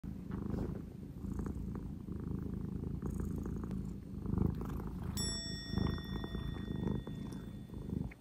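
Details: Male British Shorthair cat named Sobbang, an occasional lap cat, resting for a long time on his owner's lap indoors, purring steadily in a low, rumbling, continuous pulse with soft rhythmic breathing swells throughout.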